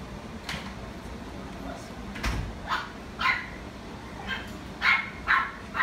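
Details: Pomeranian at a pet shop giving short sharp barks in irregular bursts, about two per second near the end, over steady background hum.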